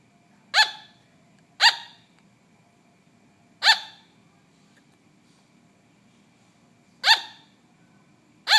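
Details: Sugar glider kept at home, barking in short bright yaps, five of them, two close together then spaced about two to three seconds apart, with a low background hum.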